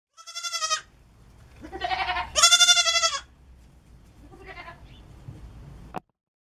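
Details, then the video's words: Pygmy goat kid dressed in a reindeer costume, parading in front of the camera, gives a few high, quavering, harmonic bleats, the loudest around the middle, then fainter ones, in a quiet room. "Chevreau costumé en renne"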